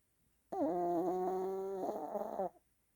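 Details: Morning snore from a pet dog that woke its owner, a loud, sustained nasal whistle held for two seconds, steady at first and then rougher and wavering before cutting off.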